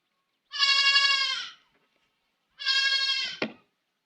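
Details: Baby goat kid crying with two long bleats, each about a second, strongly harmonic and slightly wavering, separated by a pause of about one second; the second ends in a brief click.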